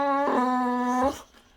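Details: Boxer dog Rex in a hilarious tantrum indoors, giving a sustained whining vocalisation, steady and tonal for about a second before cutting off, while people chat about a calendar change nearby.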